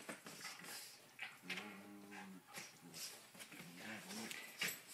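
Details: Two terriers, an eight-year-old cairn terrier and an 18-month-old terrier mix, play-fight bitey-face style on a living room couch; a short low, buzzy growl rises midway amid scuffling, with a woman's voice urging them on.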